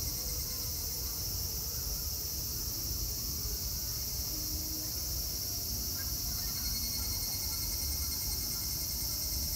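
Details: Chorus of cicadas at Meiji Shrine in Tokyo, Japan, on 25 August 2018, an even, continuous shrill buzz filling the air without pause, with a faint low hum of distant traffic beneath.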